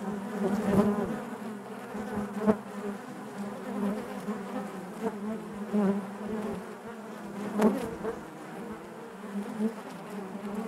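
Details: A honey bee colony buzzing within its hive, a thick sustained hum punctuated by several sharp louder bursts as bees move near, the drone otherwise even and unbroken throughout.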